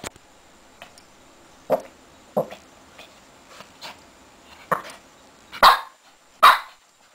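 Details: Lacey, a six-month-old Shih Tzu puppy, playing wildly in her bed; a series of short, sharp yips and barks at irregular intervals, growing louder toward the end, with small rustling sounds between.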